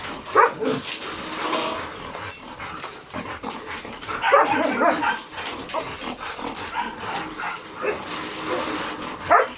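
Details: Hyper dogs reacting to insects, birds and voices; scattered short barks and whines over a noisy background, with a louder cluster of barking near the middle and a sharp yip at the end.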